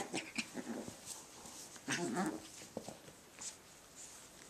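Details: Cavachon puppies at play indoors: short whimpering squeaks early on, then a brief burst of low, wavering growly whines near the middle, with scattered scuffling clicks and taps throughout.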